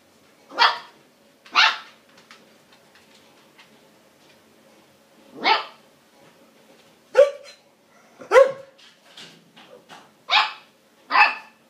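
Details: Siberian Husky puppy named Lady, trying to convince a border collie to be friends and play, gives short, sharp yelping barks in irregular bursts, about eight over twelve seconds, separated by quiet pauses.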